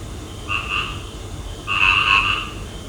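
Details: Frog calling at night: two close, harsh croaks, the second louder and longer than the first, heard over a low constant background hum.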